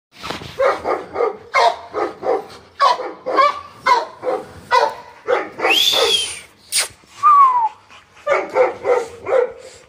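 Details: American Bully puppies yapping in quick bursts of short, sharp barks, several every second, broken by a drawn-out rising whine and a high, falling yelp midway before the rapid yapping resumes.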